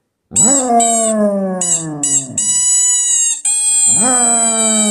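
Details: Basset Hound giving drawn-out howls. Each one starts high and sinks gradually, with a short break before a fresh howl begins near the end. Steady high-pitched tones, likely music, run alongside.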